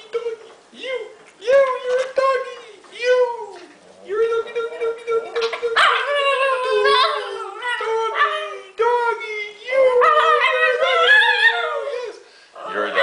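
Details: Italian Greyhound, a pet dog that sings at times, howling on cue: long wavering tones with rising and falling harmonics, in short bursts then longer sustained stretches, while a person coaxes and talks over it.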